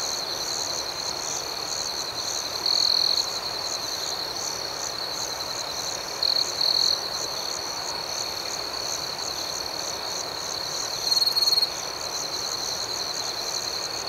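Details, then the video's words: Nighttime crickets chirping: a continuous shrill, shimmering chorus with three brief louder trilled bursts from a closer insect, spaced several seconds apart. "Soothing Cricket Sounds"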